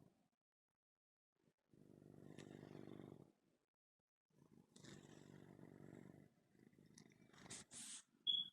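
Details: Domestic cat purring while kneading his bed, two long low rumbling motorboat stretches of purring, followed by some rustling and a short high squeak at the end.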